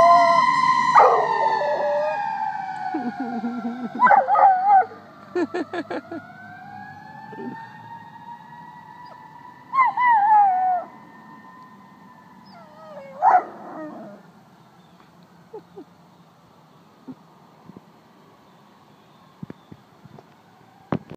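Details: Rottweiler howling in reaction to fire truck sirens: wavering, rising howl bursts with short yelps at about 1, 4, 10 and 13 seconds over a steady two-tone siren, which fades toward the end.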